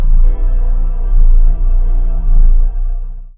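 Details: A deep, sustained organ-like drone fills the recording, with no animal voice. Low tones swell and dip several times before cutting off.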